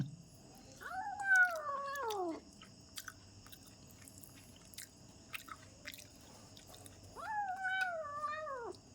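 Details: Pet kitten eating at home indoors, two long wavering meows several seconds apart, each rising then falling, with soft chewing and small clicks between them in a quiet room.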